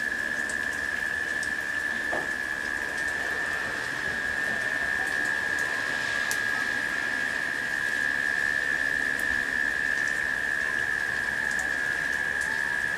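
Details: Cicadas humming during a late-summer rain shower: one steady, unbroken tonal drone holds a single pitch throughout, over the constant hiss and patter of rain, with a few faint chirps and clicks.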